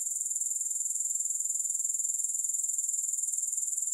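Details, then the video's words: Grasshoppers in a steady, high-pitched chirring drone made of rapid, even pulses that never let up, with no music or other sounds. "Grass Hopper Sounds"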